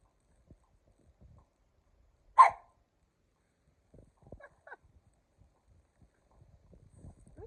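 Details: Kumo, a pet Keeshond, chewing on his favorite ball: one short, sharp bark-like burst stands out from near silence, followed by soft, scattered chewing clicks and thumps.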